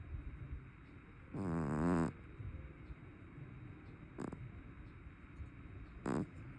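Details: Large brown tabby cat snoring in its sleep: one strong, vibrating snore lasting under a second, followed by two brief, faint snorts and low background hum.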